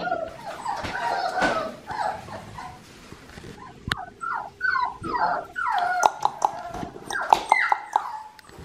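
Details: Red merle male Australian Shepherd puppy giving a run of short, high whimpers and yips, each sliding downward, coming quickly one after another in the second half, with a few soft clicks and rustles around it.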